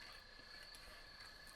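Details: Crickets at a campsite in Baztan, Navarra, Spain, chirping constantly: a steady high-pitched trill held without break, with a second fainter continuous tone lower down, over quiet rustling.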